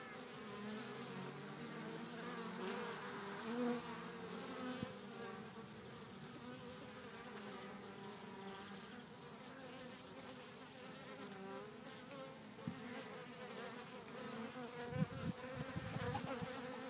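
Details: Several bees working a back garden in Cretingham, Suffolk, their overlapping soft hums blending into a continuous wavering drone, with light knocks and rustles near the end.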